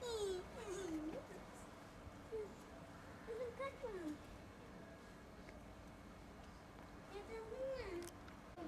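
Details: Rescued abandoned kitten, found after two days in -11°C snow, utters several short thin mews in scattered bursts, each rising then dropping in pitch, over a constant low background hum.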